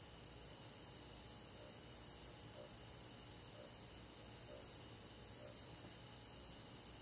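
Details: Crickets at night in a rural summer forest, sharp high chirps recurring roughly every 0.8 seconds, each brief and bright, layered over a continuous shrill hum from many other insects.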